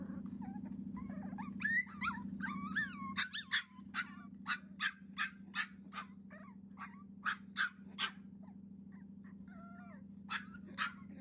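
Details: A 42-day-old Cavalier King Charles Spaniel puppy cries insistently to be let out with high, wavering whines and sharp yips in quick bursts over a steady low electrical hum; recorded 30 June 2021.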